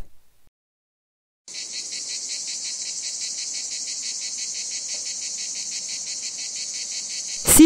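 A cicada's loud, steady, rasping buzz starts after a short silence and holds without a break.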